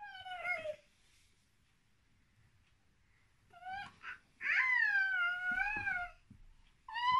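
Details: Domestic cat indoors beside a baby who imitates cat sounds; three tonal, wavering meows, a short falling one first, then a long drawn-out cry near the end, with a final rising call cut off.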